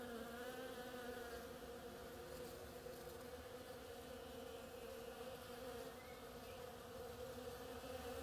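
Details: Bees at an oriental creeper's flowers keep up a steady chorus of buzzing wings, with a brief higher rising whine from one insect passing close toward the end.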